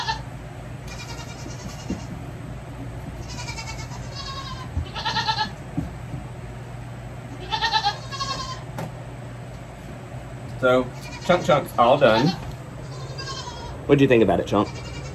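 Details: Goat kids having their hooves trimmed give a run of short, nasal bleats every couple of seconds, growing louder and more quavering toward the end, with a constant low background drone.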